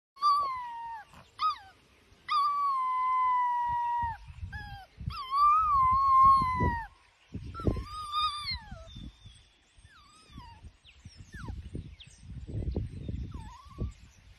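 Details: Ruby Cavalier King Charles Spaniel howling: long, drawn-out wavering wails with rich harmonics, several held for a second or more, broken by shorter yelping calls and rustling; a person exclaims right after.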